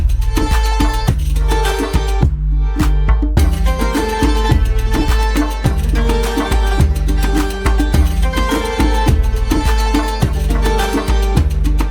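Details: Loud rhythmic folk-style music with percussion and melody throughout, and no animal sounds.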